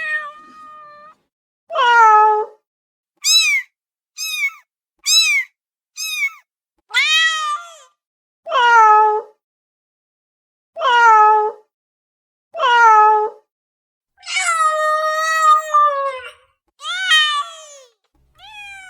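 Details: Pet cat calling for immediate attention with a long run of meows, some short, high and clipped, others longer and descending, spaced irregularly about a second apart, ending in a sustained wavering cry.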